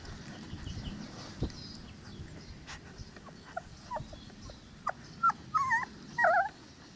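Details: Cane Corso puppies, 22 days old, from the litter of Paula and Angelo, already dewormed and chipped. Short high whimpers and squeaks come in growing bursts, the last few wavering and tonal, over faint rustling.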